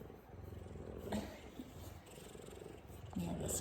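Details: Affectionate big male F2 Savannah cat giving headbutts, purring with an even, low, throbbing rumble for most of the stretch; a woman speaks briefly once mid-way and again at the close.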